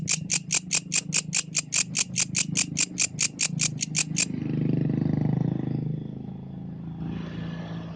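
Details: Yellow grasshopper at night giving a run of sharp, raspy high pulses about two to three per second for four seconds, then stopping; a low rumbling noise and faint hiss fill the rest.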